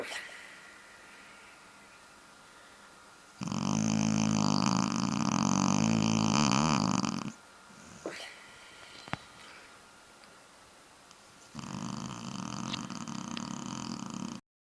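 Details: Shar-Pei asleep, snoring in two bouts: a loud, rough, vibrating snore lasting about four seconds, a quiet gap with faint clicks, then a softer second rattling snore.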